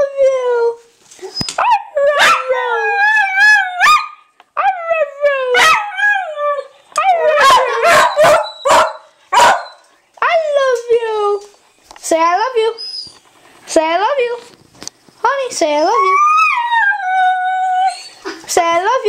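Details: Honey the dog performing her "I love you" howl on request: repeated sliding yowls, rising and falling, broken by short gaps and a cluster of quick clipped sounds mid-way, with people urging her on.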